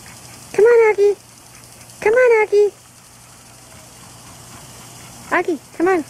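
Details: Auggie, a pet dog in his pool on a hot day while being coaxed to get out, gives high, drawn-out whining cries in short bursts, two pairs a few seconds apart, with a person's encouraging voice nearby.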